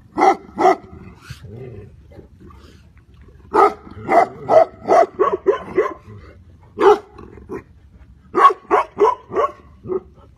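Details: Tibetan Mastiff giving loud, resonant barks in irregular runs, a pair at first, then a fast string of five or six, a single bark and a final volley of five, with a low growl between.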